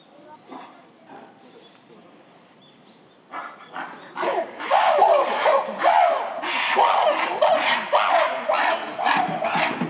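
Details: Gorillas of the Shabani Group at breakfast time in December 2023, as female Nene and her son Kiyomasa chase silverback Shabani; after a quiet start, loud harsh screams burst in from a third of the way through, rough and repeated in quick rising surges.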